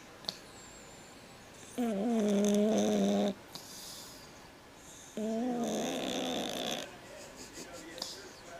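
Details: Snoring cat giving two drawn-out grating breaths with a strong tonal, almost voiced quality, separated by a few seconds of quiet, with small knocks in the background.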